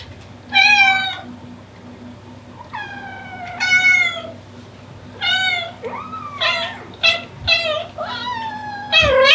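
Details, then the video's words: Mother Devon Rex cat calling for her kittens: a loud series of drawn-out, harmonic meows, some falling and some rising, spaced unevenly and coming faster toward the end, over a faint low hum. "Incredible Mother Cat Calling For Her Kittens"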